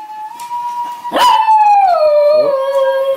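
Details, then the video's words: Dogs singing along to a favourite song with piercing howls; one long sustained tone held level, then swelling louder and gliding smoothly downward, over quiet background music. "Dogs sing along to their favorite song"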